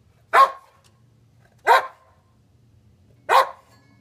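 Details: Three loud, harsh barks about 1.5 seconds apart from Titan, an almost nine-year-old Boxer dog excited by chasing reflections, each bark short with a slight trailing rasp, low hum underneath.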